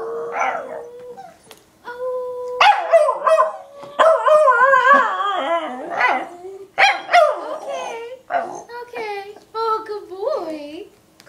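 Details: A male Pembroke Welsh Corgi sings along with his owner, howling in wavering, drawn-out tones that rise and fall beside a human voice.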